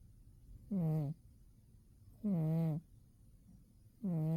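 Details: Umi the cat sleeping soundly in winter, snoring in low droning bursts about half a second long with a tonal, harmonic buzz, each breath separated by roughly a second and a half of quiet.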